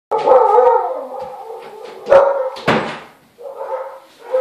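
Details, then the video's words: Newborn Siberian Husky puppies, described as confused, give a drawn-out wavering whine followed by a few sharp high yelps and a short rising squeal, with quiet gaps between the cries. "Confused Cute Husky Puppies"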